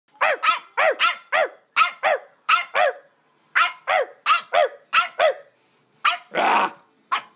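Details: A three-month-old tricolour purebred French Bulldog puppy barks at its owner in a playful barking argument: about a dozen short, high, yappy barks in quick runs, with brief pauses and a rougher, growly bark near the end.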